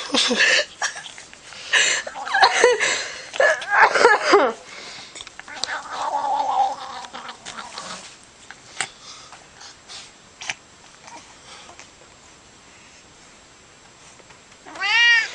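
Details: Domestic cat making funny noises: a burst of rapid chattering chirps and squeaks, then a long quiet stretch with faint clicks, ending in a short rising-and-falling meow.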